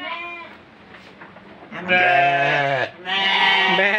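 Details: Sacrificial goat for Qurban, presented as funny entertainment for kids; a fading harmonic tail at the start, a low rough stretch, then two strong bleats in quick succession, the second trailing off in a wavering cry.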